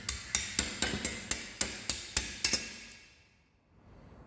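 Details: Sharp metallic hammer strikes, about ten in under three seconds, ringing bright and high before fading to a quiet workshop hum, with no animal sound.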